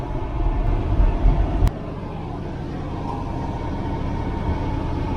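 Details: A steady low engine rumble from passing traffic fills the recording, with a sharp click partway through. No animal calls can be picked out.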